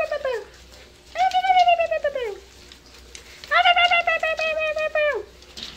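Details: Seven-week-old dachshund-basset mix puppies at play. A drawn-out, high, tonal whine slides downward and is repeated twice, each about a second and a half long, with a short whimper before them. Quiet background between the cries.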